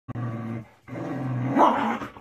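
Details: German Shepherd playing with another dog during training; a low rumbling growl in two bursts, the second rising into a rougher snarl before fading.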